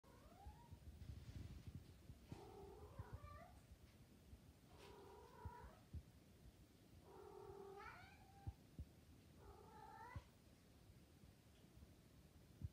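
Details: Maine Coon cat in heat, cooing: five drawn-out, tonal, rising-then-bending calls with rich harmonics, spaced about two to three seconds apart, over a low indoor rumble with a few soft clicks.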